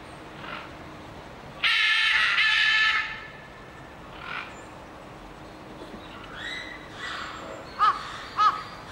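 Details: A seven-week-old infant white-handed gibbon (Hylobates lar) gives a harsh, raspy squeal, then short rising whistled hoots; infant calls.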